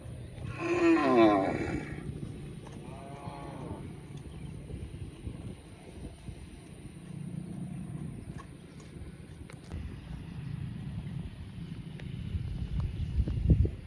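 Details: Cow grazing in a field: one loud, deep, drawn-out moo lasting about a second at the start, then a shorter, fainter moo a few seconds later, followed by quiet rustling and low field noise.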